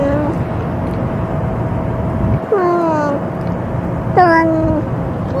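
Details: Ear-tipped stray cat at a feeding, talking while it eats after being threatened by another cat that had already eaten; two drawn-out, falling meows come a couple of seconds apart over a steady background hum.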